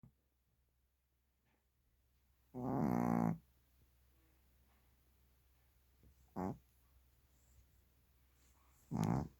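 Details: Shih Tzu snoring while asleep indoors: a long rasping, buzzy snore, then shorter snorts roughly every three seconds, with quiet gaps between.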